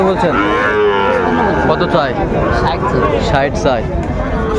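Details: Sahiwal bull calf at a cattle market with Dhaka farmers buying, 30 August 2024. A loud, rising-then-falling moo with rich harmonics fills the opening seconds, followed by shorter lowing amid busy market talk.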